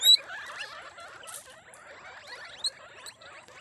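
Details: Pet guinea pigs of several breeds kept in a caviary and rabbitry in Cabugao, Ilocos Sur, Philippines: a dense, overlapping chorus of high chirping squeaks with short rising and falling sweeps, plus a few sharper louder peeps.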